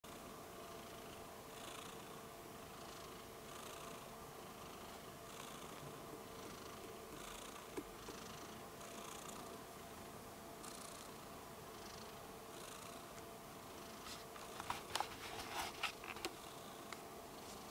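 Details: Rudolph the Red-Nosed Kitten, a pet cat, purring softly: a quiet, steady rumbling pulse of about four beats a second over faint hiss, with a few sharp clicks near the end.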